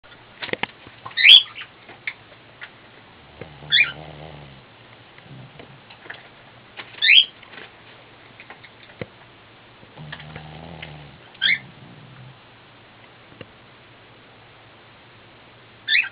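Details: Elderly Shih Tzu named Cocoa, fast asleep indoors, snoring: low buzzy, rattling snores near four and eleven seconds, separated by quiet stretches, with sharp high squeaky chirps recurring every few seconds.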